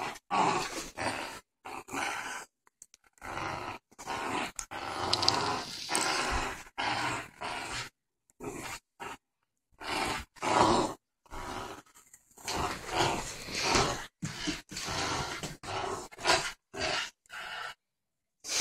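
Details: Playful growling from Ginger, a four-month-old boxer/pit bull mix puppy tugging in a tug-of-war game: a long run of harsh, gravelly growl bursts of varying length, some louder peaks, separated by brief pauses.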